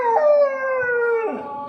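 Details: A male Kanni dog, in the evening, howls ("sings") in response to the prayer call from a nearby mosque, as he has since three months old: a long tuneful note gliding downward, then cracking into a brief wavering yelp.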